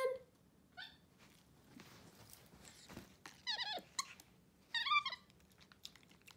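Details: Two pet capuchins, MonkeyXander and Ohana, at a messy Sunday breakfast in bed with oatmeal; a scattered run of high squeaky chirps, some wavering downward, between soft rustling and handling sounds.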